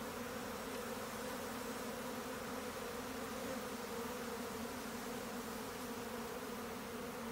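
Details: Honey bee swarm in progress: a continuous low buzzing drone, thick and constant, with stacked humming tones and no pauses or changes in intensity.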